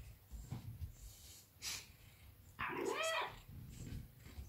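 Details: Maine Coon cat named Cesar, a large pet cat coming to its owner to be affectionate, gives one short, clear, tonal meow that rises and then falls, amid quiet room rustling and soft breathing noises.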